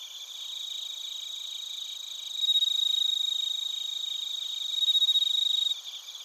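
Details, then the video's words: Bell crickets and other crickets in Narita, Chiba Prefecture, Japan, TASCAM Portacapture X8 recording: a background of high pulsed chirping, then a louder, pure ringing trill swells in midway, holds about three seconds and stops abruptly. "スズムシとコオロギの鳴き声 - Chirping of crickets"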